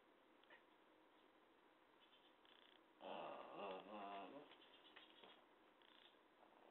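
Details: A chatty cat gives one drawn-out, lower meow lasting about a second and a half in the middle, wavering in pitch. The rest is a quiet indoor hum with faint short chirps.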